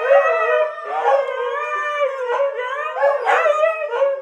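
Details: Several dogs, including Kiska, howling together as a choir: overlapping wavering tones with rich harmonics, rising and falling in swells roughly every second, voices layered over one another with no other sounds.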